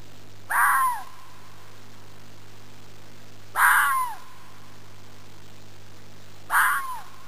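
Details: Arizona fox calling in its typical way: three rough, screechy yelps spaced about three seconds apart, each ending in a short falling tail, against a faint steady hum.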